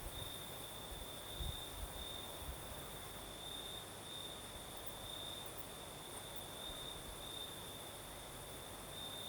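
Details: Night chorus of crickets in southern Crimea with a nocturnal breeze, a continuous high-pitched ringing trill pulsing slightly in strength, set against soft wind hiss and a few low thumps near the start.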